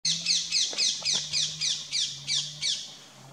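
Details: Asiatic wild dog, or dhole, in Tadoba Tiger Reserve, India; packs communicate by whistling. About ten short, high, downward-sliding whistles follow at a steady pace of roughly three per second. A constant low hum runs underneath.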